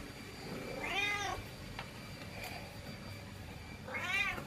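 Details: House cat that does not want to be left behind, two plaintive meows about three seconds apart, each rising and falling in pitch with strong overtones, over steady background hum.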